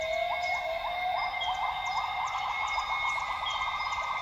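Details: Wild northern grey gibbons singing at dawn in lowland rainforest at Tawau Hills Park, Sabah, Borneo: a fast series of short, bubbly hooting notes rising in pitch and then levelling off, over a steady high insect drone.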